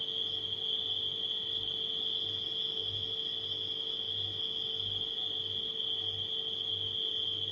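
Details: Dense, constant high trilling of nighttime crickets holds at one pitch, accompanied by the rhythmic low pulsing and mid-range tone of a humming refrigerator.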